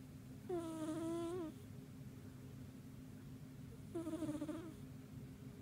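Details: A cat sleeping soundly at home gives two whistled, reedy snores about a second long, each falling slightly in pitch, roughly three and a half seconds apart, with soft hum between.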